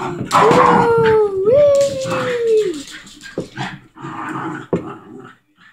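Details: Pet dog while playing, giving a long drawn-out whining howl that steps upward midway then slides down over about two and a half seconds, followed by scuffling, breathy noises and a short sharp yelp.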